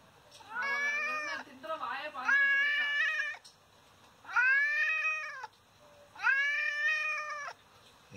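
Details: Injured father cat, someone having hit him, crying indoors while a woman talks to him: a run of four long, drawn-out, harmonic meows, some wavering, with her voice between calls.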